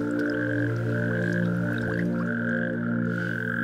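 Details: A chorus of male natterjack toads (Epidalea calamita) calls loudly in the mating season, a steady overlapping rattling drone in various pitches, at a fish-free substitute pond in Schaffhausen Nature Park, Switzerland, where the species is declining.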